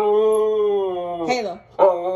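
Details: Mouthy Siberian Husky arguing with its owner about being on the bed: a long steady howl-like moan held about 1.2 seconds, sliding down, then a short rising grumbling yowl.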